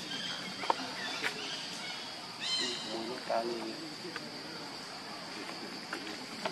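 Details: Baby monkey Lucie begging its mother for milk and being rejected; a few short, high, harmonic cries cluster near the middle, set against a steady high-pitched hum and faint low murmuring.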